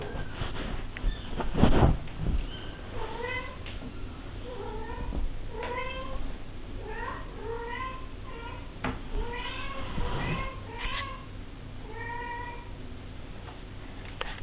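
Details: Devon Rex kitten, five weeks old, giving a rapid series of short, high, rising-falling mews, about one per second, with some bumps and handling noise early on.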